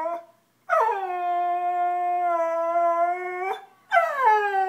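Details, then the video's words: Believing he is being yelled at, a dog gives a sustained, even, howl-like cry lasting nearly three seconds, followed by a brief pause and the start of another falling wail. "Cute dog makes funny noise"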